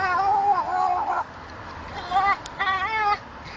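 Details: A male dog losing his temper, crying like a baby: two bursts of wavering, high whining cries with rising and falling pitch, the first about a second long, the second broken into short wails, separated by a quiet pause.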